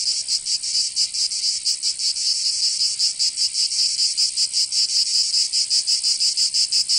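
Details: Summer cicada song from Provence in the south of France: a shrill high-pitched drone pulsing in slower, uneven throbs several times a second, steady and loud with nothing else audible.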